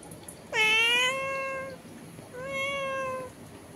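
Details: A domestic cat talking through a window with another cat outside gives two long, drawn-out meows, the first louder with a rising start and a level, sustained tone, followed by a softer second meow after a short pause.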